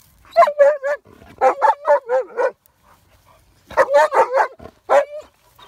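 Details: A dog barks at a horse before being put in the house: short, harmonic, yelping barks in quick bursts of three to five, a pause, then another burst of four to five barks.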